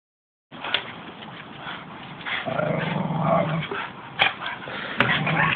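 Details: Staffordshire Bull Terriers playing together, giving low rumbling growls that swell in the middle, broken by sharp thumps and scuffling.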